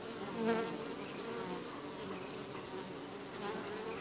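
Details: Honeybees busy flying in and out of their hive while driving off an unwelcome beetle; a steady dense hum of many wings with a slightly louder pass near the start, low droning throughout.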